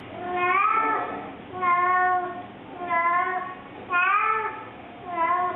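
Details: Domestic cat caterwaul, a mating cry from unspayed or unneutered males and females: a male searching for a mate or a female announcing herself, not an angry sound. Five drawn-out, wavering wails repeat roughly once a second over a faint background hum.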